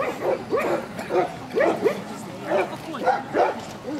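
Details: A Central Asian Shepherd Dog club show held in Kyiv (Krasylivka), Ukraine, in September 2019; bursts of two or three harsh barks repeated, mixed with speech from people at the ring.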